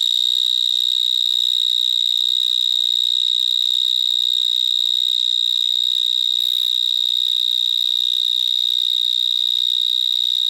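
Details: In a Gironde vineyard, a large vineyard mole cricket (Gryllotalpa vineae) stridulates at close range, producing a constant, very loud siren-like whine at one fixed high pitch throughout, overwhelming any other sound.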